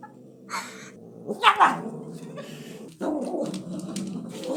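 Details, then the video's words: A domestic cat stealing food makes odd noises: rough, throaty growling mumbles with a couple of sharper squeaky bursts, over rustling. "cat steals food and makes weird noises"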